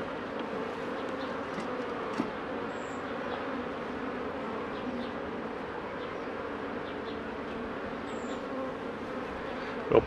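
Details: Honey bees at a Mini+ hive during a 2018 inspection by a beekeeper give a level, continuous buzzing drone. Faint high chirps sound in the background, and a burst of handling noise comes at the very end.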